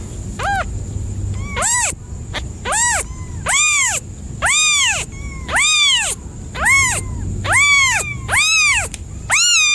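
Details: Cat calling in a steady sequence of loud arched meows, around ten calls at nearly one-second intervals, each swelling up then sliding down, with a low murmur and a faint high steady tone underneath.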